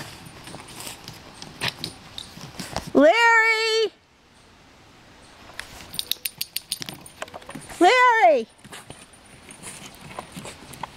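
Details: A Cairn Terrier patiently stalking fish in a pond gives two drawn-out, rising whines a few seconds apart, with water splashes and clicks between.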